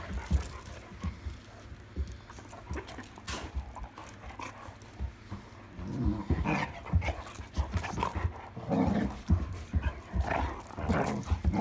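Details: Irish Setter playing with a new toy at night, 26 July 2022: steady panting through the first half, then rough low growls in short bursts near the middle and again later, with thumps and scuffling of play.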